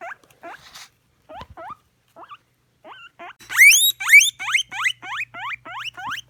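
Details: Pet guinea pig giving its wheek call: soft, scattered rising squeaks at first, then a run of loud, shrill upswept whistles repeated about twice a second, each sweeping sharply upward.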